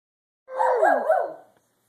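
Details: A dog named Jeter making funny noises: one drawn-out, wavering vocal sound about a second long that dips and rises in pitch, yodel-like, with a clean quiet background.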